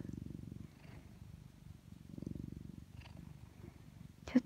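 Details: Orange tabby pet cat purring contentedly on top of its owner during a windy winter day, iPhone recording. Low, rhythmic purring swells and fades in waves, with a brief spoken word at the end.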